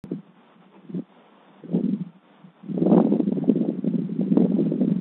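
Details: Dogs barking at a delivery driver at a house in the USA on January 20, 2022, recorded by a doorbell camera; a few short separate barks, then a dense run of overlapping, loud barking.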